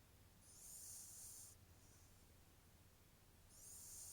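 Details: Ponta the cat snoring: a soft, airy hiss with a faint high whistle lasting about a second, a quiet gap, then a second whistling breath starting near the end; low steady hum underneath.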